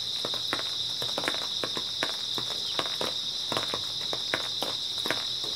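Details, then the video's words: Grass insects on an early autumn night, a steady dense high-pitched chirring chorus that never breaks, with crisp footsteps crunching over it roughly once or twice a second. "초가을 밤부터 새벽까지 백색소음 풀벌레 소리"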